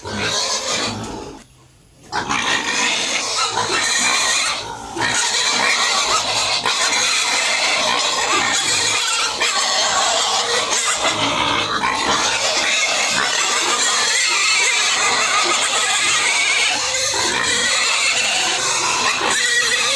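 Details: Home-raised pigs at feeding, a brief lull near two seconds giving way to a constant, harsh, noisy chorus of overlapping squeals and grunts lasting to the end.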